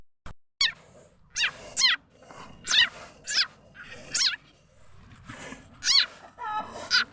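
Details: Khiat chana frog (also called khiat i-mo), whose call is used as a lure for catching birds, chickens and other fowl; harsh, harmonic squeals that sweep downward, about seven bursts spaced roughly half a second to a second apart over faint background hiss.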